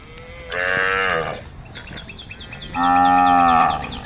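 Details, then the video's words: Tame female cows on the road calling the herd. Two loud, sustained moos, the second deeper and longer, are separated by a short pause filled with a quick run of repeated high bird chirps. "the sound of cows calling the herd"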